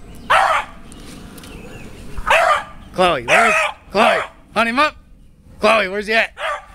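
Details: A beagle named Chloe treeing a squirrel with her pack gives a run of short, rising-and-falling howled barks. They come in quick uneven bursts, with human voices mixed in.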